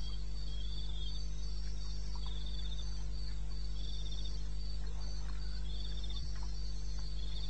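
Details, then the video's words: Crickets calling in eastern Botswana's wilderness at 2:30 am on 21 May, a real night recording: dense, shimmering high trills broken into short repeated bursts, several callers overlapping, with a continuous low drone underneath. "1 Hour cricket sound"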